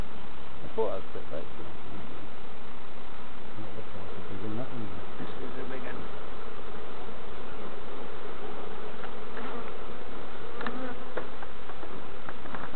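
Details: A continuous low hum from honey bees around opened hives at Summerwood Lane Allotments and Community Garden as novices inspect them, with a short burst of talking partway through and occasional sharper buzzes.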